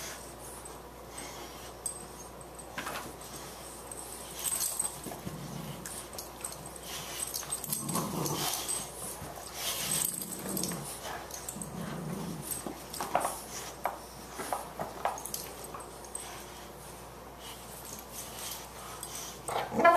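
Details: Two boxers at play, Margie the puppy and Ziggy, tussling indoors; rough growls and snorting huffs come in bursts through the middle stretch, softer breathy noises before and after, with a steady low hum underneath.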